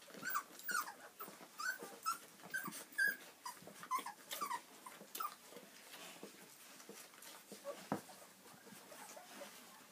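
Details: Three-week-old puppies in a litter, making soft high squeaky whimpers, short thin peeps repeated about once a second, fading out after the first half, over steady background hiss.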